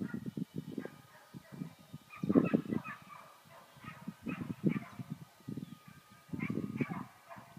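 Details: Border Collie herding, barking in short bursts of rapid low barks, grouped clusters repeated through the clip with brief pauses between them.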